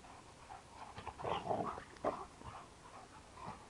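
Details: A 2-year-old male Kuvasz gives short, rough barks and throaty growls in bursts during rowdy daily play-fighting with a 7-year-old female Labrador.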